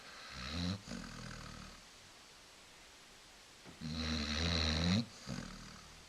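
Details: Female Basset Hound dozing on a couch inside, snoring her head off: raspy, low rumbling snores in two bursts, a short one then a longer one rising in pitch at its end, with softer breaths between.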